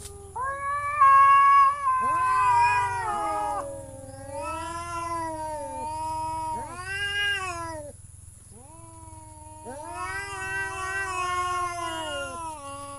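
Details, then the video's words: Domestic cat yowling in a series of long, harmonic-rich wails, some sliding downward and others rising then falling, about five drawn-out calls with short pauses, over a faint steady high-pitched whine. "The sound of cat funny"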